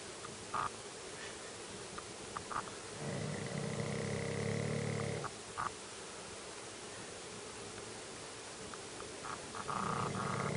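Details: Shih Tzu dog snoring like a human: two long, low rumbling snores a few seconds apart, each lasting about two seconds, over a steady background hum.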